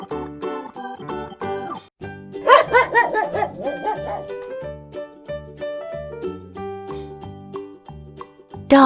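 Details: Rapid series of dog barks, five or six in a row over about a second and a half, heard above cheerful, steady children's music.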